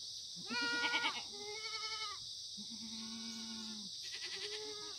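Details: On a sunny September 2019 morning at a free-range farm in Sangdong-myeon, Gimhae, Korean black goats bleat: a shaky, pulsing cry, then a long, even, low-pitched bleat and a final quavering call, all over a continuous high hiss.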